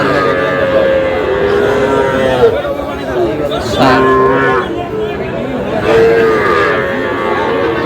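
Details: Sahiwal bulls and calves at the start of a market sale in Aftabganj, Dinajpur, 11 July: a few short moos and one longer lowing call stand out against a steady background of voices.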